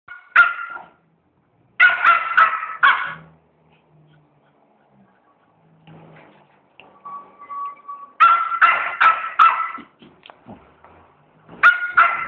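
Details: A two-month-old female schnauzer puppy, protesting after making a mess, gives bursts of sharp, high barks in quick clusters with short pauses between.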